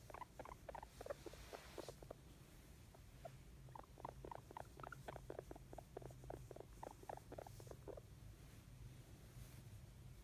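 A guinea pig makes quick, soft chuttering squeaks in rapid bursts, its contented happy sound.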